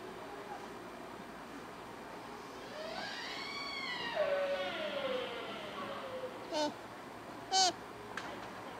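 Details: A sika deer stag in Nara Park in October 2017, during the rut, gives a long, wailing call that rises, then slides down, followed by two sharp squeals.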